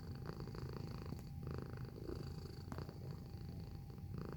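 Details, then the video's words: Close-range purring of a house cat, a throaty low rumble pulsing rapidly and continuously, briefly touched by two sharp clicks, with a faint constant high-pitched hum underneath. "Feline Observational Video - Purring Sound Effect"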